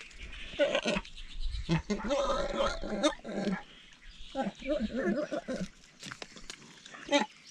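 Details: Andean bears, also called spectacled bears, squabbling over food while feasting on treats; a run of short, harsh, harmonic squealing bursts comes in uneven clusters, some strained and wavering, with brief quiet gaps between them.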